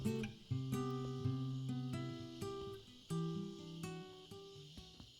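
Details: Plucked acoustic guitar chords ring out, with no animal voice anywhere.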